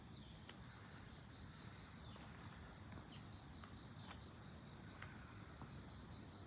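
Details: Bell cricket singing near globe amaranth flowers: high, clear ringing pulses in quick trains of short bell-like notes, steady and repeated, over a faint low background hum.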